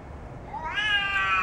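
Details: A large domestic cat facing off against a neighbourhood cat, giving a single rising, drawn-out meow that climbs and then holds steady, with clear bright harmonics.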